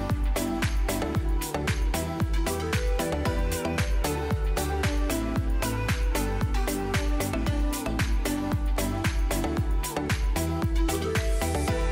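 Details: Driving electronic pop track with a strong regular beat and layered synths runs without pause, and no dog or other animal voices come through.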